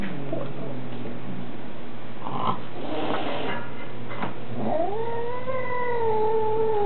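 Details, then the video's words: A Maine Coon cat gives a low, rough grumble, then a long, wavering yowl, complaining because a new kitten is visiting his home. "Sam the Mad Maine Coon Cat Studing to be the MGM Lion"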